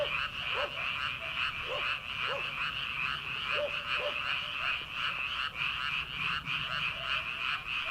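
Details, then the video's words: Paddy-field frogs in early summer, before rice planting, massed in a steady buzzing, pulsing croak chorus, while a few short, sharp notes jump out in the first half. "초 여름 개구리 울음소리/ 논에서 들리는 개구리 소리"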